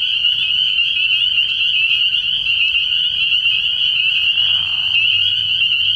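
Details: Spring peepers calling together at a frog pond at night early in the year: a dense, unbroken chorus of high, shrill peeps merging into one steady ringing band, with a faint low rumble underneath.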